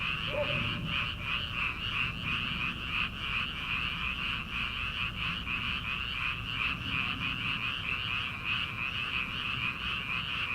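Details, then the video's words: Frogs calling from rice paddies in early summer, at night before rice planting: a dense, unbroken chorus of high, rapidly pulsing croaks, steady throughout, with low night-air rumble beneath. "초 여름 개구리 울음소리/ 논에서 들리는 개구리 소리"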